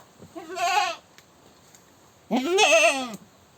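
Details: Goat screaming: two loud, quavering bleats, each close to a second long, the second harsher and rising before falling away.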